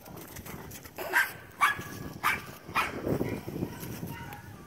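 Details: Four-month-old male wire-haired Portuguese Podengo Pequeno puppy called Mink, born 21 September 2016. Four quick, harsh barks in close succession, then softer rustling noise.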